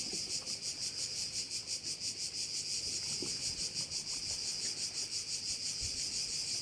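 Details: From a bay in Korčula, a cricket chorus throbs in a bright, high buzz, rising and falling nearly three times per second in an unbroken, regular pattern over quiet background.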